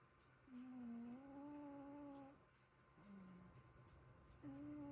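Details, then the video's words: Two sleeping cats snoring indoors: long, steady whistled tones with overtones, each held one to two seconds, then a lower short note and another held tone at the end, in a quiet room. "코골이 듀오"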